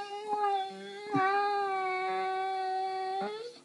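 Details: Tiggah, a pet Saluki at home, complaining about her day with a long, even, humming howl held for over three seconds, small pitch wobbles and faint knocks in a small room.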